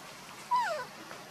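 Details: Monkey scene: Luna runs fast carrying the baby Luno while Rainbow tries to take Luno away. One short, tonal whining cry with ringing overtones, holding steady and then sliding downward in pitch for under half a second against quiet background.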